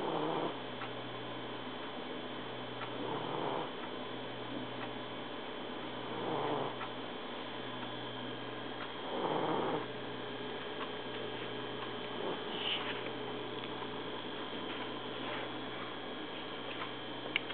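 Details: Trouble, a male Egyptian Mau cat, snoring indoors on 1 January 2011; soft, breathy rasping snores swell roughly every three seconds over a steady low hum, with quieter breaths in between.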